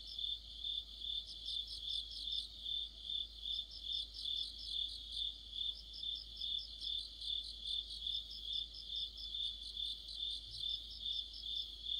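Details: Crickets with other insects in an autumn chorus: an unbroken high trill plus regular pulsed chirps at about two per second, dense overlapping callers and a soft low hum.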